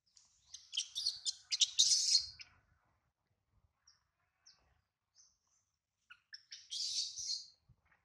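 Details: Hungry baby monkey missing its mother, crying while held by a small monkey: a cluster of harsh, high squealing cries early on, a quiet gap with a few short chirps, then another rasping squeal near the end.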